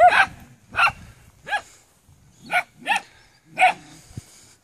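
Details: Maremma Sheepdog puppies bark in clear, sharp, high yips with rising-falling tone, six spaced barks over under five seconds against a quiet background.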